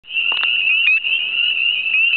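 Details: Male spring peepers (Pseudacris crucifer crucifer) call to attract mates at night in an April marsh during breeding, giving high, piercing peeps that blend into a steady, ringing chorus.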